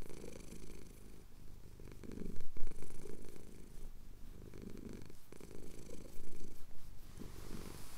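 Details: Male domestic cat purring while his chin is scratched at sunrise over the Cotswold hills, recorded on a Tascam DR-07X; a steady low rumble swelling and easing with each slow breath, with louder surges around two and a half and six seconds.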